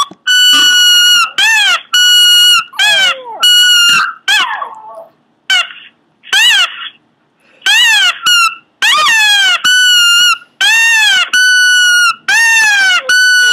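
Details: Strange squealing from a Pomeranian, sharp high yelps that rise then drop in pitch, delivered in quick irregular runs with short pauses, some ending in brief lower grumbles.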